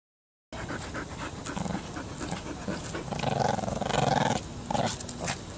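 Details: Maggie, a six-month-old Shih Tzu puppy, plays tug indoors; after a brief silence, rough panting and scuffling build into louder throaty growl bursts near the end, with toy-tugging noises throughout.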